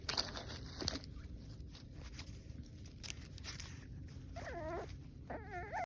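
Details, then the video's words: French Bulldog puppy indoors giving short, wavering high whimpers near the end, two brief whiny bursts after a stretch of quiet room noise and faint rustling, with a woman speaking just before. "Sound on to hear the cutest puppy noises"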